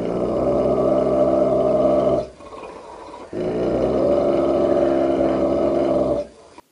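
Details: Bulldog growling in two sustained, rumbling bursts of about two and three seconds each, separated by a brief pause, indoors with a person speaking afterward.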